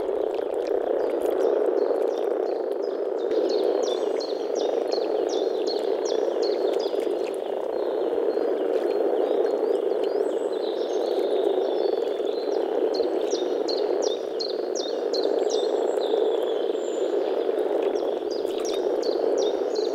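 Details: Dense spring chorus of frogs in the Czech Republic, low continuous croaking throughout, while a bird repeats short high chirping phrases over the top for most of the twenty seconds.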